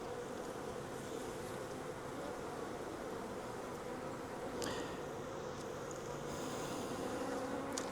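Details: Honey bee swarm buzzing while being caught off a tree branch; constant dense drone of many bees, with a few sharp clacks and handling noises in the second half.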